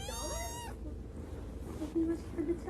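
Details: Kitten giving a single high, clear meow that rises slightly then falls, lasting under a second, followed by quiet room noise and faint low sounds.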